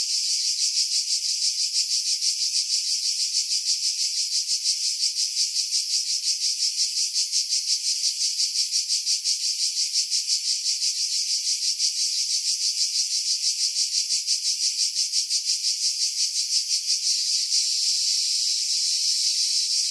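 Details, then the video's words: Twenty seconds of cicadas in pine trees at Pefkos Bay, Skiros, Greece, July 2018, recorded on a Sony RX3 with external mic; steady loud metallic buzzing with fast even pulsing, wind edited out. "Cicada Sounds, July 2018 Skiros, Greece"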